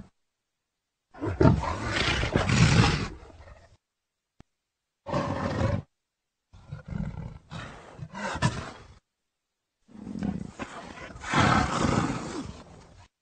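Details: Leopard giving long, rough, breathy roaring growls in four separate bursts of two to three seconds each, with hard cuts to total silence between them and strong low rumble under a harsh broadband rasp.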